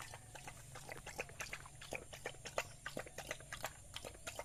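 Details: A village dog eating rice: irregular wet smacks and crunchy chewing clicks, roughly one a second, some louder bursts, over a faint steady low hum.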